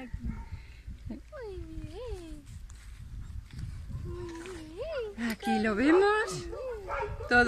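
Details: Young German Shepherd named Suegro, said to love cuddles and to be learning to walk on a leash, whining in drawn-out tonal rises and falls that swoop up and down, ending in a rough, busier cluster of whimpers among human speech.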